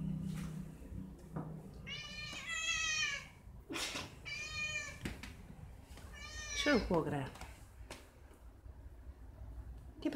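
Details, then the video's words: Overly excited domestic cat, very loud indoors: a series of strained, wavering meows with rising and falling harmonics, about four drawn-out cries, the last sliding sharply down, with a woman talking to it in Spanish between calls. "Overly excited cat - Eva, la gata emocionada en demasía"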